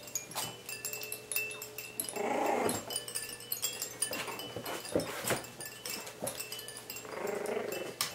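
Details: Three-and-a-half-week-old Coton de Tulear puppies romp together, two rough growling bursts standing out amid scratchy scuffling and clicks, while wind-chime-like music tinkles steadily behind them.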